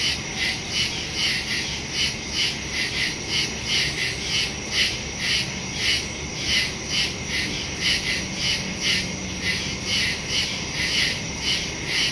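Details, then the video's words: Woodland crickets at night in September, phone recording with stereo microphone: loud shrill chirps beating steadily about twice a second over a continuous high buzz, a faint low tone briefly audible. "Crickets in the woods at night"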